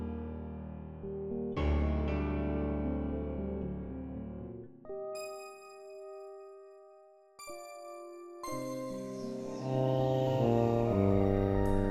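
Only music is heard, with sustained piano and bell-like tones and no animal voice.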